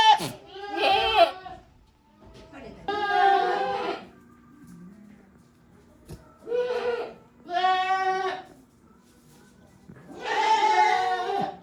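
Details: Goats in the shed of a handmade goat farm on 5 December 2023 utter varied, at times strange calls: five separate nasal, quavering bleats spaced by short quiet gaps, over a faint steady hum.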